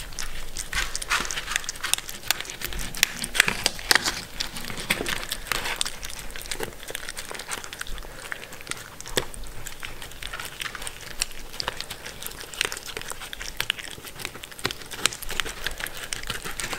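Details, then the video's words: Mindy, a pet Shetland Sheepdog, eating food indoors; dense crunchy chewing and crinkling clicks continue throughout, with soft panting-like breaths between bites. "Dog Eating food (Shetland Sheepdog)"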